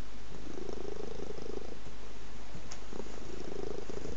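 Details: Purring cat heard very close, a low continuous rumble pulsing in two longer swells separated by a quieter gap, with a faint click near the middle and nothing else audible.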